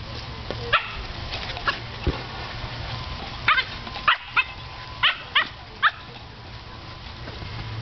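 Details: Pet dog Teddy chases a huge blue ball and barks at it in frustration because it will not fit in his mouth: single sharp barks and short pairs spaced irregularly across several seconds, against a constant low droning background.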